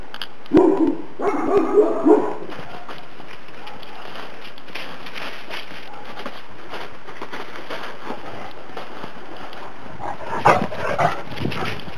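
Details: Two-month-old Šarplaninac puppies, the litter of Valjana and Oleon, on New Year's Day; a burst of short harmonic yelps and whimpers in the first two seconds, a quiet stretch, then another brief cluster of yips near the end.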